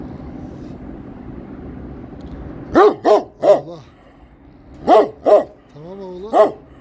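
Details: Kangal barking in two bursts, three deep barks then three more, some ending in a rising, whining tone, over a low background hum, a man's voice calming it nearby.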